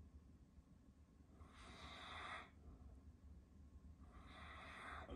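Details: A sleeping male Caucasian Shepherd Dog snores with slow, hissing, breathy rasps spaced a couple of seconds apart; recorded 2021.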